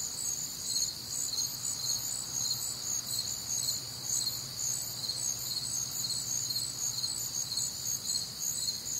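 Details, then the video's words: Crickets and other nocturnal insects on a warm, humid Midwestern summer night: a dense, high-pitched chorus of pulsing chirps, roughly two per second, layered in steady bands over a faint low background hum. "Night Time Cricket Sounds"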